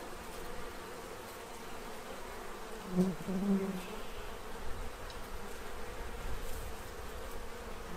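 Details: Bees swarming a feeding tray in Central Illinois while stocking up before winter, giving a low continuous buzz with a brief louder, nearer hum around the third second as one flies close.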